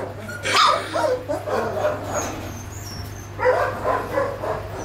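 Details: Puppies from a 22-day-old litter give soft, overlapping whimpers and yips in two bursts, near the start and again after three seconds, over a steady low hum.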